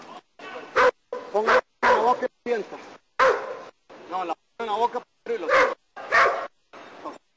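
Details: During protection work in Costa Rica, German Shepherd Nero lets out irregular bursts of sharp barking broken by short gaps, with human speech heard between and over the barks.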